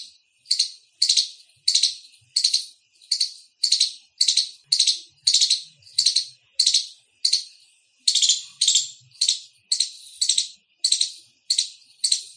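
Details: Indian squirrel chirping loudly, a long rhythmic series of harsh, high chips, about two per second, each burst fading quickly before the next, nothing else audible.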